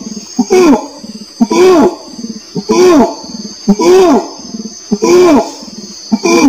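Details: Orangutan producing repeated rising-and-falling moaning calls close to once per second, interspersed with short low rumbling notes, while a continuous high hiss runs underneath.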